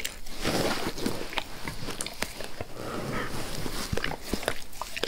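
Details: A pet dog, Max, licks a human face. His licks sound slurpy and smeared, wet lapping with scattered sharper clicks over five seconds and a soft breathy undertone.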